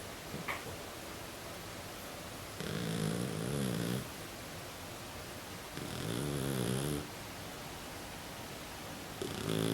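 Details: Flat-faced Exotic Shorthair cat snoring as usual in its sleep, nose snorting: three low, rasping, buzzy breaths, each about 1.3 seconds, repeating roughly every 3.5 seconds over quiet background.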